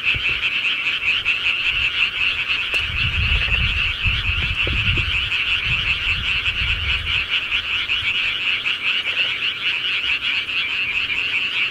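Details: A rural frog chorus at night, countless overlapping pulsed calls forming a steady shimmering trill, with a faint click early on and a low rumble in the middle.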